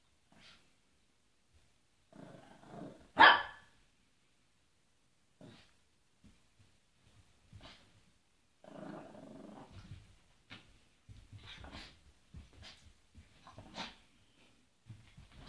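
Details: Otis, a puppy who tosses his treats around before eating them, gives one sharp, loud bark early on. Softer rumbling growls, snorts and small clattering bursts follow at scattered intervals in a quiet room.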